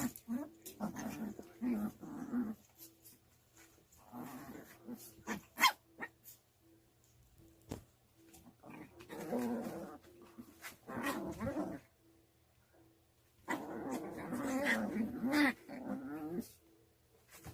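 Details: Puppy sisters wrestle in a hand-to-hand tussle, giving throaty growling and snarling in bursts of one to three seconds, separated by brief quiet gaps and scuffling noises.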